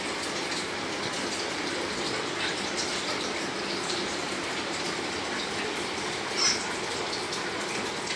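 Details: Steady gushing water, like a filling bathtub or running tap, fills a small room throughout.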